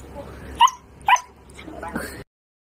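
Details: A fluffy Siberian husky, prompted to say hello, gives two short, bright yelping vocalizations in greeting.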